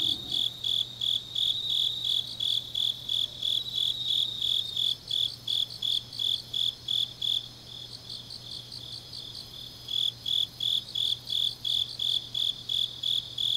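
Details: Autumn-night grass insects in Changnyeong, Gyeongnam, Korea, trilling in high, regular bursts close to three per second; a second insect chirps alongside in places, over a faint low steady hum.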